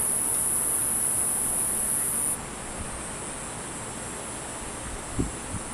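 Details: Cicada recorded from about ten feet away: a steady, very high, hissing buzz holds loud for just over two seconds, then cuts off abruptly, leaving a fainter high whine over a low background rumble.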